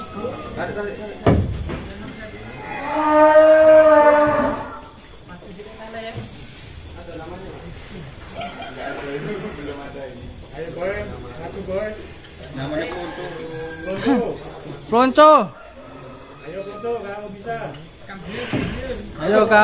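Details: Plonco, a huge 'monster' cow at Kelonthong Farm in Indonesia, is led out of its pen. It gives one long, deep, steady moo lasting about two seconds. People talk and call encouragement throughout, with brief music.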